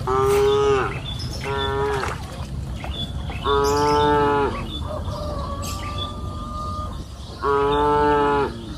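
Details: Cows in a lush green pasture on a hill in the afternoon, mooing repeatedly: four rich, harmonic moos of about a second each, with a softer steady tone between them and faint bird calls.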